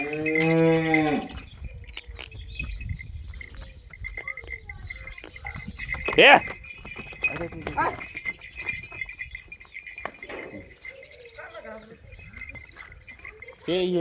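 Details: Holstein Friesian heifer calf with two teeth, offered for sale; a deep, harmonic-rich moo lasting about a second opens the recording, another begins at the very end, with cowbell-like ringing, clanks and farm noise between.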